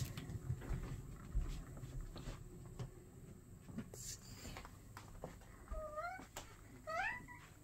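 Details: Two pet cats at home, Max, a male tabby, and Freddy, a female tuxedo, taking a break from play while getting treats; two short, rising meows near the end over soft rustling, clicks and low household noise.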